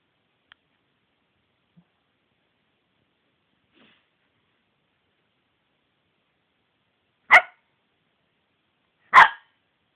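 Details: Cici the dog barking: two sharp, loud, broadband barks about two seconds apart near the end, after a mostly quiet stretch with only faint small clicks.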